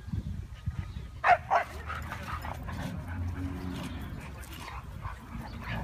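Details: Siberian Huskies at play, a group named Mia, Nola, Bender, Fry and Max: two sharp, quick barks close together early on, then softer low growling under steady rumbling background noise.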